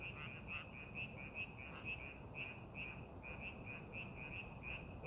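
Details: Frogs calling in rice paddies being prepared for farming, a steady chorus of short croaking notes repeated rapidly, about two per second, over a constant low rumble of wind or distant noise.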